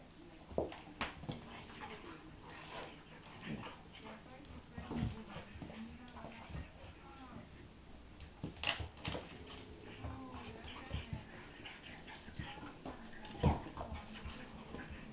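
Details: Pug and Akita cross dogs at play, giving repeated whiny whimpers, grunts and sharp little yelps at uneven intervals over a steady low background, with some human voices mixed in.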